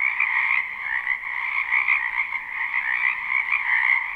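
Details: Wetland frogs calling together in spring, captured live: a loud, continuous mass of high, reedy trills swelling and easing slightly in volume, no other sounds present.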